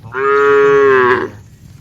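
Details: A single steady moo from one of dozens of tame cattle heading to the barn, a rich harmonic tone held for about a second and then cut off, with little else heard.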